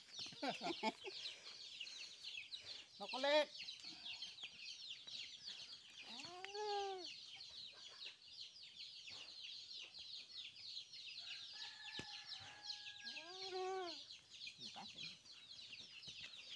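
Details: Newborn goat kids at vaccination time, bleating in three short, quavering, arched cries a few seconds apart, over a constant bed of high-pitched chirping from birds or chicks.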